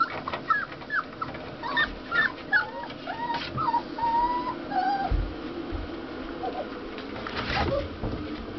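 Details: A puppy five weeks and one day old gives a run of short, high, wavering squeaks and whines in the first half, then quieter, with a soft hum of background noise throughout.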